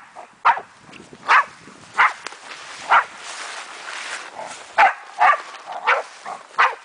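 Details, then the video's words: A German wachtelhund named Meya barks while having fun with a raccoon dog: short sharp barks spaced irregularly, about ten across the stretch, with a faint hiss of background noise between them. "Wachtel vs mårdhund"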